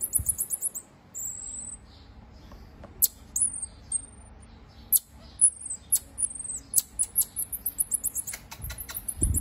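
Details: A pygmy marmoset, a tiny finger monkey, calls in very high squeaky chirps and short descending whistles. They come in irregular bursts and speed into quick twittering runs toward the end, with a few low thumps in the background.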